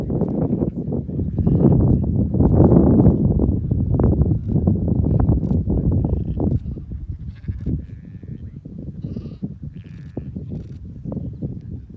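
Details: Cladoir sheep, a small ancient Irish flock of extremely rare genetically mixed sheep, coming off the mountain in Connemara, Ireland; scattered bleats sound over heavy low rumbling and shuffling noise, strongest in the first half.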